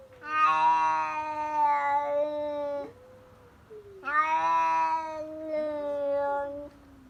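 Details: Stray tabby cat calling outside a house: two long, loud, drawn-out meows with rich harmonics, each lasting about two to three seconds, with a softer rising note between them.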